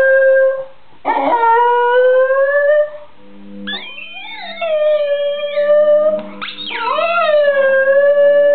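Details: Alfie, a Border Terrier, singing to a squeaky ball: long sustained howls with rich harmonics, each opening with a sliding upward swoop and then holding a steady, wavering tone, three drawn-out phrases separated by short breaths.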